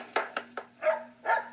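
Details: Pet dog in an Australian neighbourhood that barks all day while her owner is at work, setting off another dog nearby. Five short barks: three sharp clipped yaps, then two longer, fuller barks, over a faint hum.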